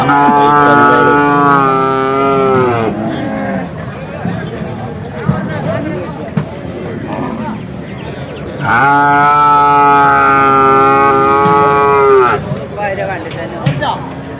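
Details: Bull calves at Vaniyamkulam cattle market, Kerala, India, giving two long loud harmonic moos, each about three seconds, falling at the end, with market chatter and background noise between them.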